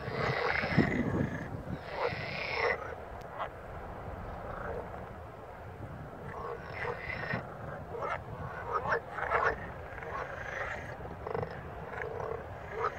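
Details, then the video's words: Several green frogs croaking in harsh, rattling bursts, calling in turn over a low rumble, recorded on 13 May 2017 in the province of Verona, Italy. "Algumas rãs verdes coaxando (vídeo em 4k)"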